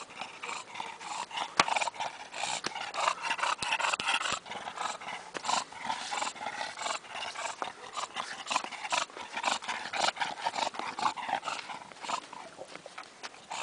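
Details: English bulldog snuffling and snorting over nearly fourteen seconds, a dense run of rough, noisy breaths broken by a few sharp clicks.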